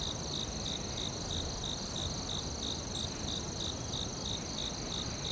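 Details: Forest cricket chorus: evenly spaced bright chirps around three per second, layered on continuous shrill insect buzzing higher up and a soft low hiss of ambient noise.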